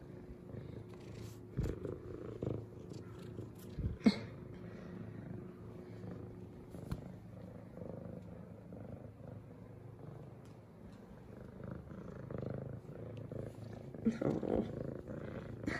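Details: Purring female F2 Savannah cat greeting her owner with headbutts at home: a long, even, low rumbling purr holds throughout, broken by a few sharp knocks and rustles, with little speech.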